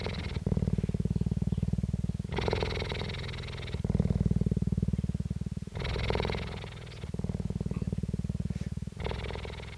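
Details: Close recording of captive female cheetah Jade purring, Dell Cheetah Centre, Parys, South Africa, 5 May 2019; steady low pulsing throb in repeated cycles, each dull rumbling phase followed by a shorter raspy, brighter phase, little else audible.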